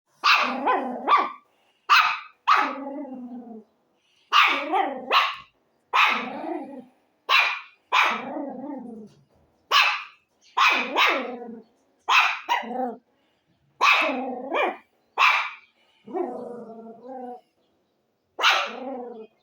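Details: Dog barking in quick doubles and triples, sharp loud barks, some trailing off into lower drawn-out whining tails, about twenty barks with short silent gaps and no other sounds.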